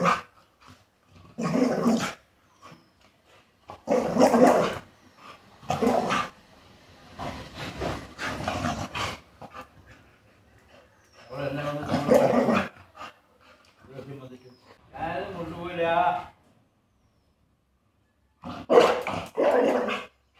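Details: Female Rottweiler puppy talking back, wanting to go outside: a long string of irregular throaty grumbles and yowls, including a tonal whining howl midway, then a pause and two closing bursts.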